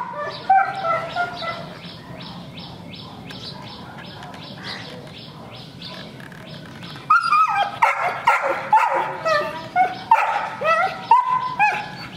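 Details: Afghan Hounds getting ready to leave for a dog show. Quieter at first with a person speaking and faint dog sounds, then a burst of loud, high, whining yelps and barks from several dogs in the second half.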